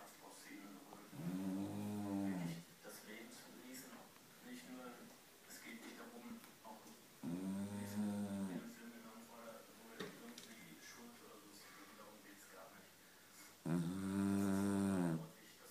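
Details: Kira, a nine-year-old Beagle, snoring indoors: three loud, low, buzzing snores, each about one and a half seconds long, come roughly every six seconds with quiet breathing between them.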